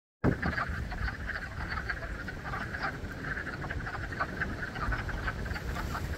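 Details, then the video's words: Spring frog chorus at Blue Cliff: a dense, continuous croaking with many overlapping callers, steady pulsing clicks and low rumbling background throughout. "Frog concert at Blue Cliff"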